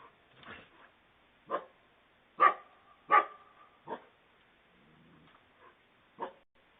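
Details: At night, two coyotes corner a fox at a house's front porch in a Fort Mill, SC subdivision, captured by a Ring doorbell. Loud, abrupt barks come in an uneven run, some with a ringing tone, then a soft low whine.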